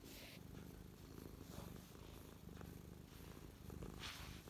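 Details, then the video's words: Mia, a domestic cat, purring close up while parked on her owner's lap, feeling happy, recorded 12/12/2023; steady low rumbling purr with soft breathy bursts near the start and end. "Close up Mia purring"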